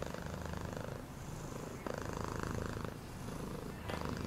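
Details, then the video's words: Domestic cat purring with a steady low rumbling throb, faint mid-pitched hum layered above and a brief soft click near the middle. "Cat purring sound"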